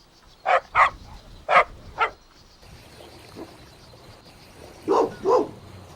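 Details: Golden Retriever puppies exploring a meadow outdoors; four abrupt barks early on, then a softer stretch and a final double bark, uneven in spacing.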